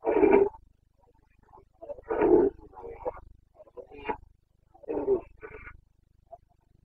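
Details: Carpathian stag roaring during the breeding season in the Bucovina mountains, Romania, 29 September 2022. Deep, throaty bellows spaced two to three seconds apart, separated by shorter broken grunts.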